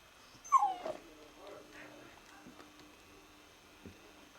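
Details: Alaskan Malamute puppy lets out one short, high whimper that slides downward near the start, followed by near quiet with a faint steady hum and a soft knock.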